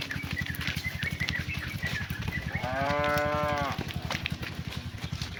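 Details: Cow calling to its herd mates during the afternoon return to the barn: one clear, drawn-out harmonic moo of about a second over a steady low pulsing mechanical thrum.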